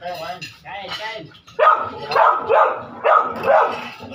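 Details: Noisy dogs during a meal. Muffled speech comes first, then four loud, harsh barks follow in an uneven rhythm, roughly one every half second.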